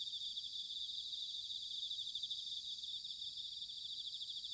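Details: Autumn chorus of bell crickets recorded in Sanuki, Chiba, Japan, on a ZOOM H6 or TASCAM DR-05X. The high, even, tinkling trills blend together continuously over a quiet low background rumble.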